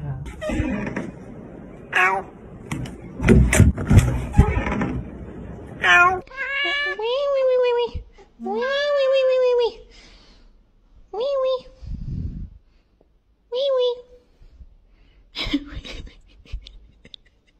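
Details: Domestic cat indoors giving a series of short, bent meows, several in quick succession then spaced singly, after a stretch of human speech and music at the start; people talk between calls.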